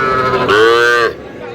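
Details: Sahiwal bull calf, about five months old, at a cattle market on 9 June, where a Chandpur farmer is buying bulls. It gives one steady, drawn-out moo of about half a second while men haggle over prices nearby.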